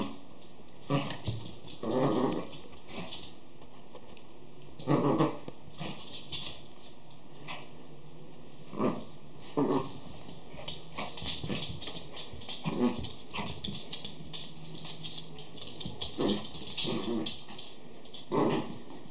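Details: Schipperke puppies growling indoors; rough, noisy growl bursts with a few whimpers come irregularly every one to three seconds over a steady background hum.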